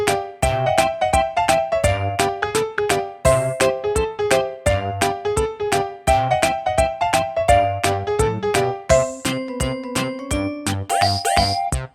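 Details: Bouncy synthesized keyboard tune with plucked notes and a playful rhythm, no animal voice heard.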